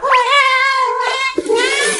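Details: House cat asked for meat gives a sustained, even-pitched meow lasting over a second, followed by a shorter wavering cry, with a person's exclamation close by in a small room.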